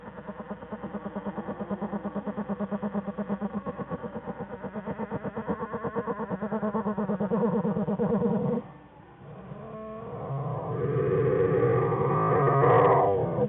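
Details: Whining from black bear cubs Fern and Herbie in the winter den with mother Jewel, January 5, 2013. A rapid, regular pulsing buzz of about three beats a second runs for over eight seconds, breaks off briefly, then resumes as a smoother, louder hum.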